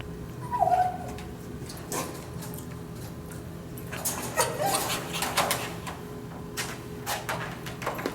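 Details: Dog with kennel anxiety, whining inside its kennel during prong-collar training; one short high whine near the start, then clattering and rattling of the kennel with a steady background hum.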